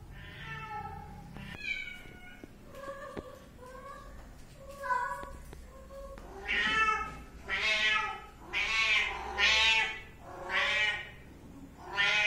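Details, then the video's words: Kitten mewing over and over: softer, thin mews with clear harmonic stacks at first, then louder, drawn-out, wavering meows with rich overtones, about ten calls in twelve seconds, against a quiet background. "anak kucing meong-meong | anak kucing meow | bunyi anak kucing meow"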